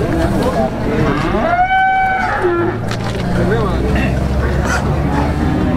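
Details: Calf at a cattle market in Plaosan, Magetan, East Java, Indonesia, lets out one clear, rising-then-falling moo lasting nearly a second, followed by a short lower call, with constant crowd murmur and voices behind.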